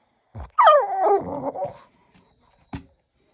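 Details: Boston Terrier vocalising at its owner on the toilet: a short thump, then one long whining bark-howl that wavers and falls in pitch over about a second, followed by a brief sharp knock.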